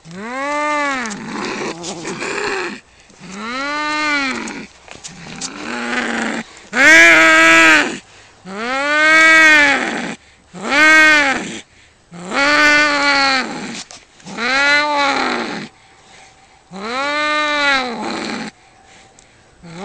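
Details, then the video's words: Cats fighting, giving a run of long, drawn-out yowls that rise and fall in pitch, about ten wailing cries in turn with short gaps, some rougher and louder in the middle of the exchange. "CAT VS CAT FIGHT"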